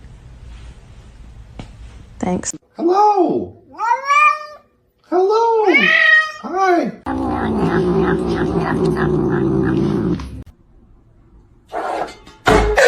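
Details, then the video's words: Kitten meowing in a funny cat compilation: a quick run of five or six rising-then-falling, harmonic-rich meows, then a long stretch of people talking and laughing indoors, with a final brief noise. "Kitten meowing"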